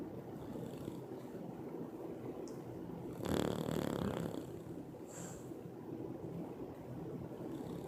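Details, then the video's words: Loud snoring from Peanut, a sleeping Bulldog: one strong rattling breath lasting about a second stands out above a constant low rumble, followed by a fainter hissing exhale. "LOUD snoring Bulldog notices camera"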